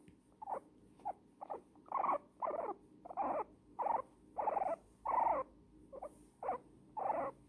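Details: Old female guinea pig Pumpernickle, happy in a blanket cuddle, starts with a few small chirps, then builds to fuller squeaks, each held for about half a second, repeated in an uneven rhythm.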